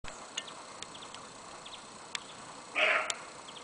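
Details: A roe deer buck gives a single short, hoarse bark near the end, by the trenches around Fort Skała at the Kraków Observatory, Poland, in daytime on 12 February 2012. Faint clicks and a steady background hiss run through the rest.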